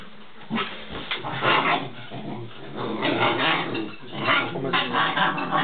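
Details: Two Alaskan Malamute puppies give a run of rough, growly yips and whines in uneven bursts, recorded 16 January 2010.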